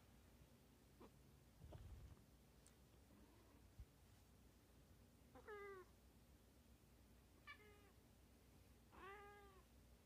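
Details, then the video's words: Domestic cat pestering with repeated meows, three clear drawn-out mews in the second half, each rising then falling, spaced about two seconds apart, after some quiet knocks and rustling indoors. "Pesty cat meows"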